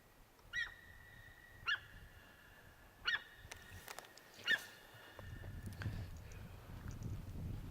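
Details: Deer calling, several high, clear tonal cries that rise briefly and then hold a steady pitch. About five calls come at uneven intervals of one to one and a half seconds, with a low rumble of background noise rising near the end.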